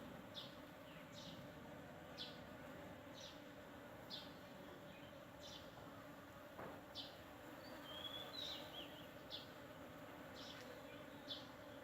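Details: Honeybees visiting a fully flowering sandpaper vine in the Thai countryside: a steady low humming drone of wingbeats runs throughout, while short high bird chirps repeat about once a second and a brief whistled phrase rises near the end.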